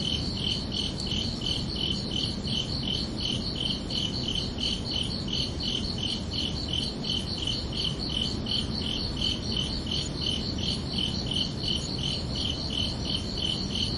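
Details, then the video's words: ['Crickets calling at night during a summer evening, rapid regular high chirps running continuously without pause, layered over a dull, steady low rumble.'] "Calming Cricket Sounds for Relaxation"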